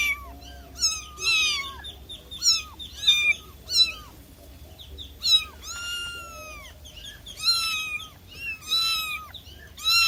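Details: Domestic cat meowing: about ten short, high-pitched, arching meows in quick, uneven succession, some rising then falling, over a quiet background.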